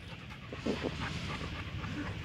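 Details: Labrador Retriever during basic training, breathing in a steady run of soft, breathy pants with a couple of louder voiced puffs early on; quiet indoor-sounding background with faint low hum.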